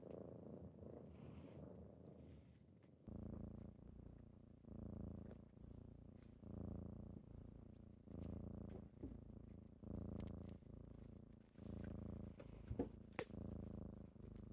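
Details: Kittens purring during a typical morning as they wake their owner; a steady low rumbling purr swells and fades in breath-like cycles about every second and a half, with quieter faint purring in the first three seconds.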